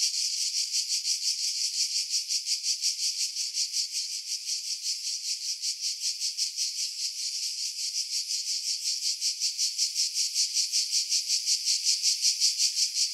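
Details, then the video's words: Cicadas singing in pine trees about 50 m above the sea at Pefkos Bay, Skiros Island, Greece, July 2018, recorded on a Sony RX3 with external mic; a dense, hissing high buzz pulsing steadily about three times per second, wind filtered out. "Cicada Sounds"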